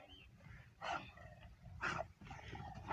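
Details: Big American Bully dog from Pakistan giving two short, harsh barks about a second apart over a low background rumble, with faint human voices nearby.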